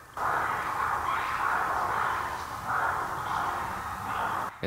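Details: Ruffed lemurs (vari) call at dawn, around five in the morning, heard from a hotel room in the Taigan safari park as first light begins. A harsh, raucous, noisy chorus swells and fades in several long bursts.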